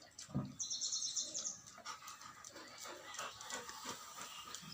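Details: Rottweiler; bark; angry reaction to the strange sound of pigs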